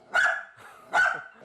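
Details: An energetic, notoriously loud Dachshund, a problem barker, gives two loud, sharp barks about a second apart at a visiting trainer; touching it now could make it bark more.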